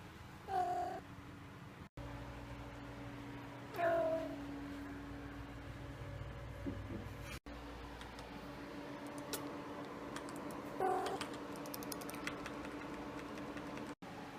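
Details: A pet male cat, just woken up, gives short soft meows indoors: three brief harmonic calls near 1.5, 4 and 11 seconds, each dipping slightly in pitch, over a steady low electrical hum.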